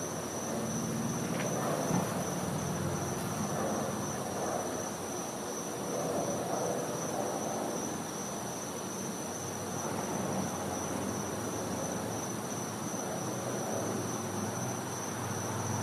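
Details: Winter night in a Floridian back yard, a cicada giving a continuous thin high-pitched drone without pauses, set against soft broadband outdoor hiss and faint low rumbling.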